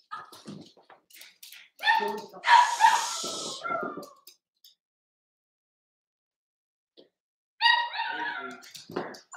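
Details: Whimpering yips from Cavalier King Charles Spaniel pups, a Ruby and Blenheim litter born 06/09/2022, on an overnight puppy cam. A burst of whiny yelps fills the first four seconds, then quiet, then another tonal whimper near the end.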